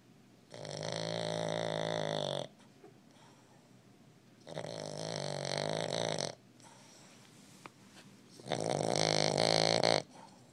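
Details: A young Boston Terrier pup snores loudly in rattling two-second breaths, about every four seconds.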